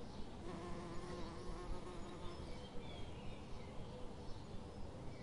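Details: A bee collects nectar from flowers in dense forest at Dandak van. A steady low droning buzz carries faint regular pulses about twice a second.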